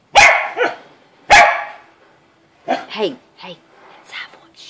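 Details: Two loud, abrupt barks from a Corgi standing up to a gator, followed by quieter human speech and soft background noise.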